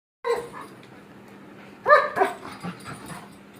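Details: German shepherd playing with its owners; a short high whine at the start, then a louder burst of two or three harmonic yelping whines near the middle, trailing into softer yips over a steady low hum.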